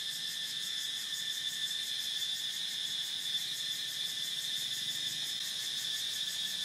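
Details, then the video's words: A continuous high-pitched cicada buzz with a rapid vibrating texture and slight swells in loudness, unbroken throughout, with no other animals or noises standing out. "Cicada Sound"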